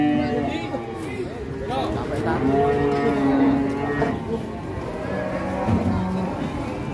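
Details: Huge Pegon cattle give drawn-out, wavering low moos, several overlapping, amid chatter from onlookers and faint music.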